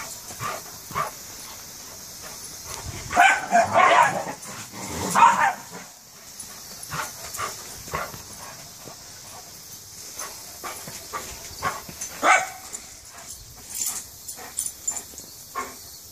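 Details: Giant schnauzer going wild while playing with a miniature schnauzer companion; loud bursts of rough, growly barking around seconds three to six, then scattered short yips and barks, with clicking paws and scuffling throughout.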